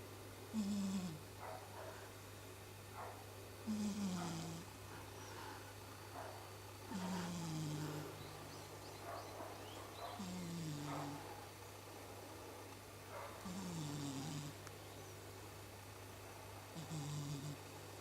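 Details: Domestic cat sleeping and snoring like a person: six low, rasping breaths roughly every three seconds, each with a short downward-sliding rumble and a brief hiss, over a steady low electrical hum.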